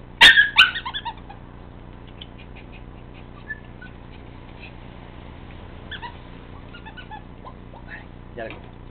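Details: A 51-day-old male Siberian husky puppy gives a sharp, high yip, followed by faint whimpers and soft sounds.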